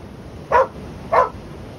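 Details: Two short, sharp barks about half a second apart from a dog barking at the waves, with the low hiss of surf underneath.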